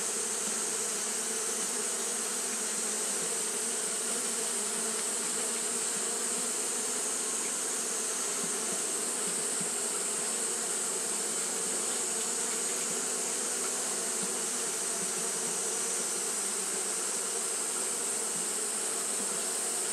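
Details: Massed wingbeat drone from Japanese honey bees fanning through a hot day, a level, continuous buzz with slight flickers in texture and a persistent bright hiss above.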